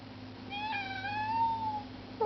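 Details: Luna, a kitten, begging to go outside: one long drawn-out meow with a slight rise then a gentle fall, clear harmonics, steady low hum in the background.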